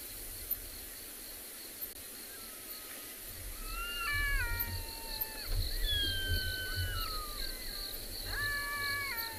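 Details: Two black-backed jackals calling, with a possible third in a valley, on a December 2020 afternoon safari at a South African private game reserve. Repeated drawn-out wails fall in pitch, with rich overtones and overlapping voices, over a low rumble of vehicle or wind noise.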